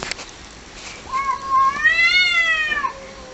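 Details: A single drawn-out yowl from fighting cats, starting low and climbing into a strained, arching wail before dropping away, against a hissing background.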